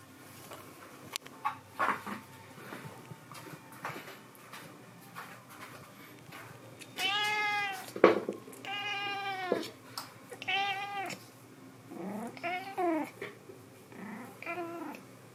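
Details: Domestic cat in an air-conditioned house in summer, giving a run of drawn-out, wavering meows from about seven seconds on, some rising then falling, after quieter rustling and soft indoor noise.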